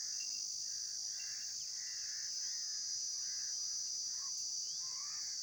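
Insects give a steady, high, shrill buzzing drone with faint chirps from other animals beneath.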